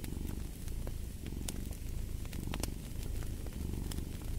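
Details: Deep, buzzing purr from a cat, pulsing with its inhales and exhales, while a fire snaps and crackles nearby.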